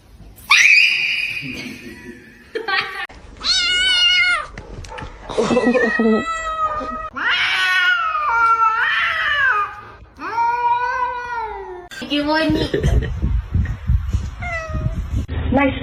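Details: Little kitten, said to be saying hi, calling indoors with a rapid series of loud, drawn-out meows, some wavering into caterwauling, with a person talking nearby and handling noises near the end.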